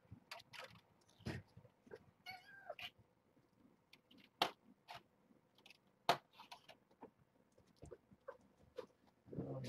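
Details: Kittens from a litter of seven, born June 21st to Nala Se, a stray mother at Purrfect Pals, during morning formula-feeding breakfast. Short harmonic meows rise among sharp clicks, handling knocks, rustling and occasional human speech.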